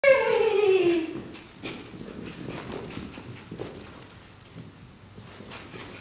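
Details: Poodle puppy Chase, chasing the miniature poodle Remy in play, gives a high whining cry that slides downward over about a second, then fades into scuffling and shuffling noises with a steady high electrical tone behind.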